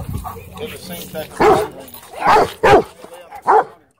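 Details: Nervous Cane Corso at a dog park barking in four short, loud bursts over a few seconds, with quieter voices in the background.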